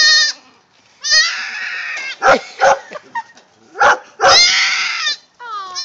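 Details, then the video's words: Goat kid only about four hours old searching for its mother: drawn-out quavering bleats alternate with short sharp cries, separated by quiet moments, and faint human voices occasionally. "baby goat video gettin' vocal !!!"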